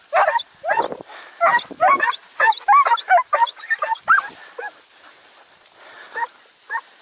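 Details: Segugio Italiano hound named Sofiko hare hunting in Evros on 5 October 2019, after storms and heavy rain until 4 am. Quick bursts of high yelping barks tumble close together, then thin out to a few spaced yelps.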